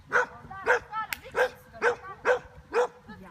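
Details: Bearded Collie barking during a Jumping agility competition run on 26 September 2015, finishing fourth with one refusal; seven sharp barks roughly every half second, a handler praising and urging the dog on in German.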